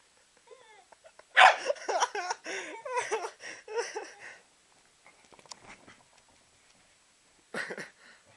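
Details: Two Corgis howling indoors after their owner sets them off. They give a burst of overlapping, wavering yodel-like howls and yips lasting about three seconds, fading into scattered soft whines. One short final yelp follows.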